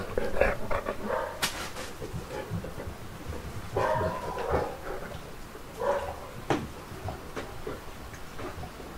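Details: Uno, a Saint Bernard celebrating his first birthday at one year old, gives a few short whiny, tonal whimpers spaced several seconds apart, mixed with clicks and faint indoor background noise.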